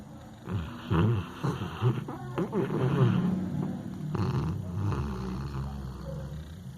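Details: A sleeping dog snores: deep, rasping low rumbles in uneven pulses about once a second, louder near the start and fading into a steady low drone.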